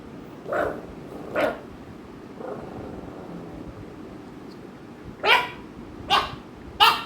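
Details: American Bully dogs Ami and Mikku at home, Ami pestering Mikku; a run of short, sharp barks, two close together, a faint one, then three more spaced about a second apart.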